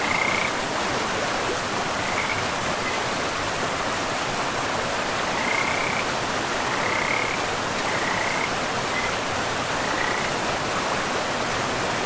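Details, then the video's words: Frogs by a river in a forest: short trilled notes near one pitch, scattered through the clip in loose bursts, set against steady rushing water that fills the background. "River and Frogs sleep sounds"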